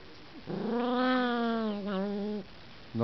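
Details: Russian toy terrier filmed in December 2012 gives one sustained, nasal, tonal whine of about two seconds that dips slightly, followed by a brief sharp yelp.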